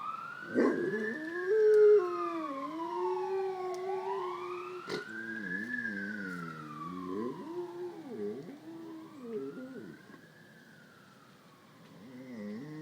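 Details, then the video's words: Great Pyrenees dog, male, tries to imitate a rising and falling ambulance or fire engine siren with long, wavering howls, his voice too low to match its high wail. "Great Pyrenees Dog Howling at Ambulance Siren"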